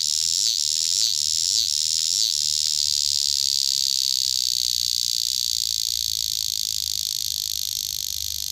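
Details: Nearby cicada opens with four rhythmic pulsing dips in its shrill buzz, then settles into a smooth, continuous high drone that fades slightly.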